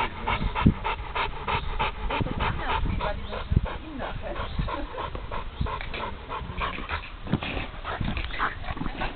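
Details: Buddy, an American Bulldog awaiting adoption, pants rapidly and rhythmically, each rough breath close on the last, with occasional low thumps and handling noise behind.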